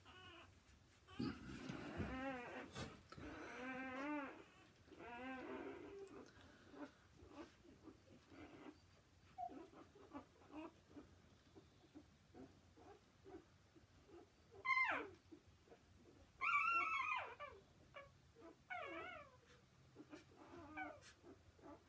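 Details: Newborn Gordon Setter puppies indoors, a burst of wavering, quavering squeals early on, then a quiet stretch of shuffling, and later a few sharp high yelps near the end.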